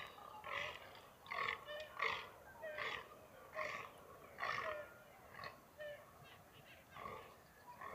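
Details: Free-range fallow deer during the rut in the mountains of NSW, Australia: short, hoarse, belching groans repeated roughly once a second in an uneven series, with quiet outdoor background.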